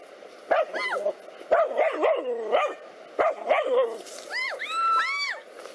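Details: Two black dogs fighting a cobra: a burst of harsh, harmonic barks in three quick clusters, followed by high, arching yelps and whines that rise and fall near the end.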